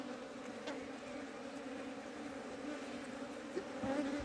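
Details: Honey bees at a hive being cleaned in summer: a steady, droning buzz with a low even hum and a higher overtone band held throughout, swelling slightly near the end.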